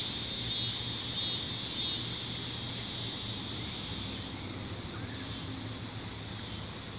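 A wall of high-pitched, continuous trilling from tree crickets dominates, many insects blending into one steady shimmering chorus. A faint low hum, likely distant traffic, lies underneath, and the chorus softens slightly after a few seconds.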